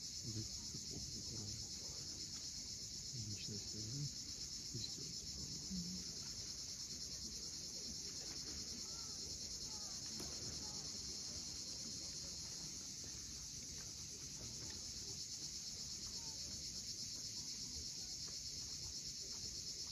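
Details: Crimean coastal evening at Cape Fiolent: cicadas at sunset produce a seamless high, metallic drone, with the deep steady wash of waves below and occasional faint bird sounds.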